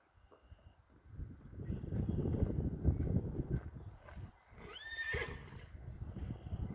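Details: American Saddlebred filly led in-hand through curtains and over a bridge; shuffling hooves and handling noise, then one short high whinny near the five-second mark, followed by more low rustling and steps.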